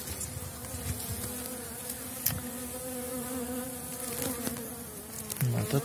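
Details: Elgon bee colony in a hive, coming out of overwintering very strong across seven frames with the queen laying, given candy paste, 2019 season: a steady, dense low hum with layered droning tones, faint clicks throughout.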